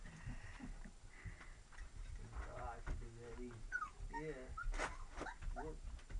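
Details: Lab and Retriever mix puppies whimpering indoors: short, wavering, whiny yelps with stacked overtones, several in quick succession in the second half, mixed with a person talking softly.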